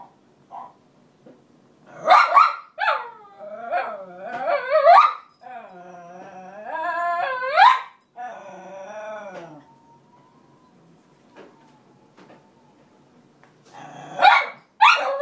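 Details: Roxy, one of two cairn terriers, crying over her bed nearest the radiator being taken: long wavering howl-like whines rising and falling in pitch, a quiet lull, then sharp barks at the end.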